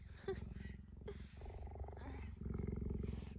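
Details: Tame cheetah kept as a companion, being affectionate with a person: a steady low rumbling purr, pulsing rapidly and continuing through most of the moment, with a woman speaking softly nearby.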